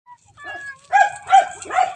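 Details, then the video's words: Several pet domestic cats at home, kept as pets: a soft faint chirp, then three short tonal meows in quick succession, each bending up and down, over about two seconds with a quiet background. "MEOW MEOW, MGA ALAGA KO NA PUSA"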